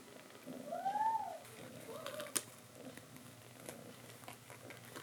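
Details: Mother cat calling her kittens to come and drink milk: one short, rising-then-falling meow near the start, followed by a quiet indoor room with a few soft clicks and a sharp tap.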